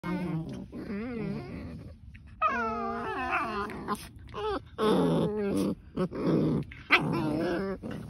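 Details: Two German Shepherds in a vicious fight: a tangle of high, wavering whines and yelps mixed with rough snarls, coming in bursts with short pauses between them.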